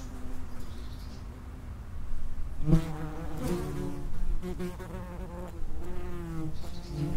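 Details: Common wasps (Vespula vulgaris) coming and going at an underground nest entrance, a low buzzing drone rising into loud, rich close fly-bys around two and a half seconds and again near four, five and six seconds, over a deep rumbling background.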